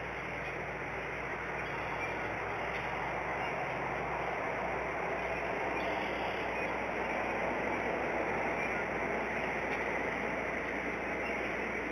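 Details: Steady broadband rushing noise, like wind or distant traffic, with no clear animal calls.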